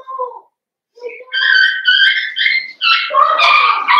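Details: Blenheim Cavalier King Charles Spaniel puppies, a litter of five born at New Year's to Paris and Spike, in an indoor puppy pen at home. A short low whimper, a pause, then long, high, tonal whines that swell into loud, overlapping yelping cries.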